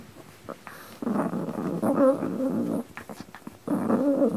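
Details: Dog from a pair named Pino and Choro growling indoors: a low, rough, throaty rumble in two sustained bursts, the first about two seconds long and the second shorter, separated by a quiet pause with faint tapping.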